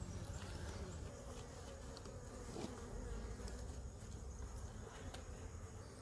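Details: Honey bees whose hive was broken by a fallen tree, filmed while the comb is being cut and moved: a dense, steady low hum of many bees throughout, with rustling and handling noise.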